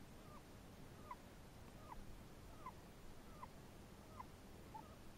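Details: Small rhythmic squeaks from a Chinese hamster, possibly snoring, come roughly every 0.8 seconds, each a brief bent chirp, quiet against low steady room noise.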